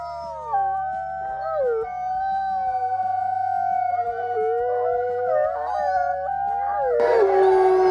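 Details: Several wild gray wolves howl together in a chorus of long, wavering, overlapping tones sliding up and down, used for long-distance pack contact and marking territory.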